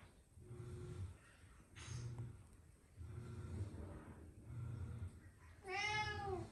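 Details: Three pet cats indoors, more interested in bath cleaning than a walk; low rumbling background sounds throughout, then a single clear, drawn-out meow near the end.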